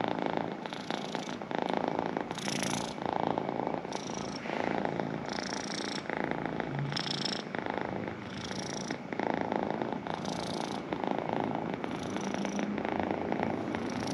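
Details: Pet cat purring steadily, a rough low rumble that swells on each breath, with inhale and exhale phases alternating about every one to two seconds.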